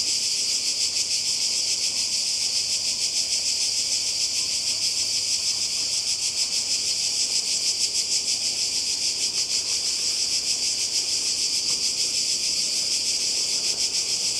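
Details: Cicadas calling by the sea in Croatia in summer 2020: an intense, continuous high-pitched rasping drone, evenly pulsed and constant in loudness from start to finish.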